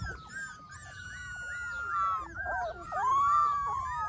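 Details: Golden Retriever puppies with a long, steady, high whine drawn out for about two seconds, then several overlapping wavering whimpers that rise and fall, growing louder toward the end.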